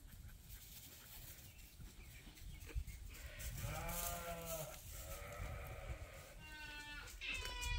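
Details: Hungry sheep on a farm at morning feeding time as a hay bale is cut open; a long, shaky bleat, then shorter, fainter bleats, with wind rumble and a person talking softly.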